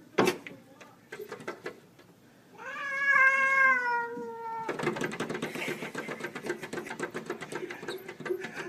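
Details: Domestic cats fighting through glass: a long harmonic yowl with a gently falling pitch, then a burst of scuffling, hissing noise and clatter, with knocking sounds early on.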